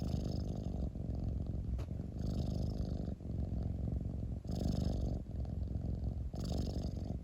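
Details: Pet cat rumbling contentedly nearby, a thick low purr that rises and eases with each breath, with soft hissy inhalations about every two seconds and short pauses between cycles.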